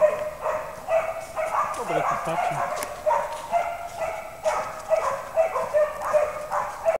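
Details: Penned pair of Slovak hounds barking rapidly and unevenly, about two barks a second, clear ringing tones, with a brief low human voice murmuring underneath around the two-second mark.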